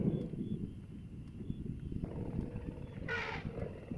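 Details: Family of wild elephants in Africa, emerging from the forest in the first morning sunlight; one brief, brassy trumpet blast about three seconds in, set against a steady low rumble of background noise.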